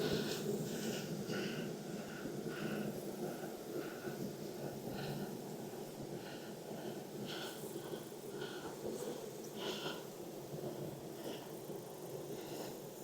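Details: Honey bees at a hive in Texas, inspected on a hot day around 92F after weeks of rain: a dense, steady low droning hum fills the clip, broken by scattered higher clicks and rustling handling noises.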